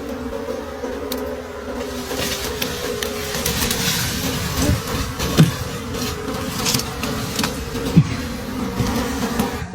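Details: Wild bees at a nest deep in a forest during the late-season honey harvest give off a dense, steady droning hum, with scattered knocks and scrapes from the digging.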